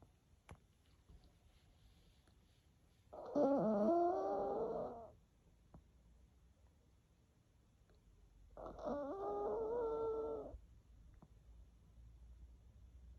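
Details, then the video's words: Mimi, a pet dog, snoring: two drawn-out, nasal snores with a squeaky, whistling tone, each lasting about two seconds and spaced roughly five seconds apart, with quiet breathing between them. "Snoring Dog ( Mimi)"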